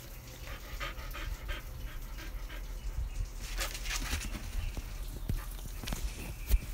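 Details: Five-month-old Pit Bull Golden Retriever mix puppy Lola panting in fast, rhythmic breathy bursts, several per second, with a low rumbling background and one louder knock near the end.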